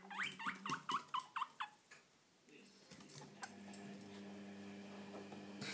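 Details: Pet guinea pigs giving a quick burst of six or seven rising squeaks in under two seconds, then quiet room noise with a low steady hum for the rest.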